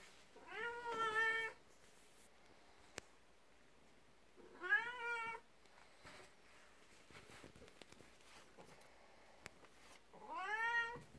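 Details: Indoor domestic cats: a 12-year-old black cat, Beni, jealous of a 19-year-old cat, Kuku, in the morning. Three long, clear, slightly rising meows come at roughly four-second intervals in a quiet room.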